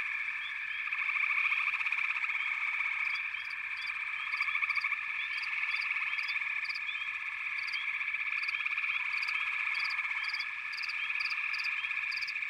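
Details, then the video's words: Frog chorus from backwater habitat: a dense, continuous wall of overlapping trills and croaks, with pulsed bursts and short rising chirps woven through, and from about three seconds sharp high ticks repeating at a quick, uneven rate. "Backwater Chorus, & Frog Chorus"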